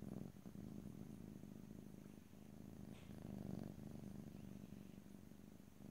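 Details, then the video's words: Close-up stereo purring of a domestic cat, a rough low drone with rapid pulsing throughout, swelling slightly past three seconds, faint clicks and rustles scattered in. "ASMR Cat: Purring"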